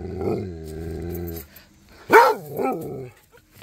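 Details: Rhodesian Ridgeback named Cody exchanging sounds with Duchess and neighboring dogs; a steady low droning howl-like tone lasts over a second, then after a pause comes a loud sharp bark followed by a shorter second one.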